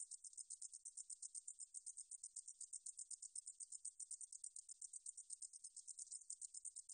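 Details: Meadow katydid (등줄어리쌕쌔기) from the National Institute of Biological Resources, 2020: a high, dry buzzing song of rapid, evenly pulsed ticks running steadily throughout, with no other sounds.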